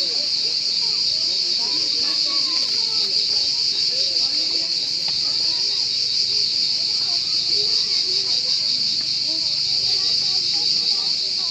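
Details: A cricket's continuous high, shrill trill runs without pause at constant loudness, while soft, indistinct human voices chatter faintly in the background.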